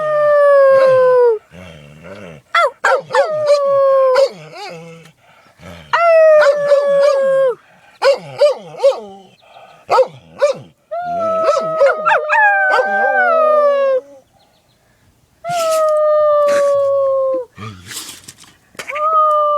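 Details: Dog howling between sneezes, sustained harmonic howls that sag gently in pitch, broken by sharp broadband sneeze snorts and short yips, with brief silent gaps between bouts.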